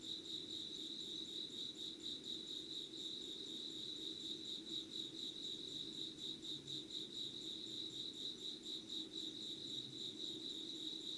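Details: Insect voices at five in the morning, 25 August 2019: a continuous shrill, rapidly pulsed ringing holds one high pitch, with a soft low rumble underneath and no other clear sounds.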